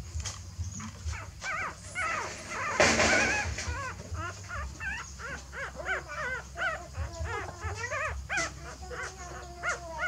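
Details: Shrill, wavering dog whines as a mother dog shifts her puppies to a new nest. Dense, overlapping arched cries repeat rapidly for ten seconds, broken once by a loud rustling burst, over constant low rumble.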